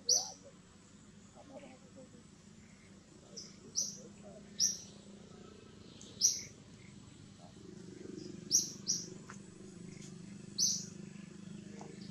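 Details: An infant monkey crying for its mother gives thin, piercing squeaks at uneven gaps, about eight over the stretch, while a low rumbling background swells in the second half.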